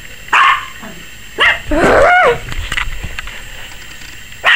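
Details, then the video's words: Maggie the Yorkie puppy, 21 weeks old and seemingly camera-shy, gives a single yap, then a long quavering whining bark with rising and falling tone, and another yap at the end. "Maggie Yorkie Puppy 21 Weeks Barking like CRAZY! and scared of the camera"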